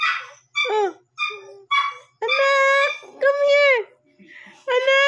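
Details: Shih Tzu puppy aged one month and seven days, barking around 12 am and waking its owner; high, arching harmonic yips and whines in short bursts, with a person's voice calling between them.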